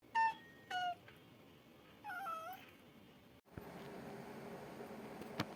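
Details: Maine Coon, a large long-haired male cat, indoors in Japan, baring its fangs at dad; three short harmonic meows in the first half, the middle one rising and falling, then a broadband noisy section with a faint click.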